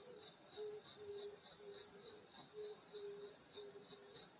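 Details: Summer night countryside insect chorus at a grandmother's house: continuous high-pitched ringing trills stacked in several bands, a pulsing chirp, and a lower short tone recurring about every half second.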